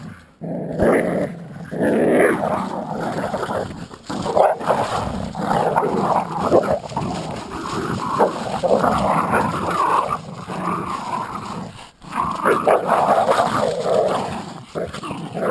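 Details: During tug of war, a Jack Russell Terrier and an American Staffordshire pit bull keep up sustained, rasping growls with small yips, nearly unbroken for about fifteen seconds.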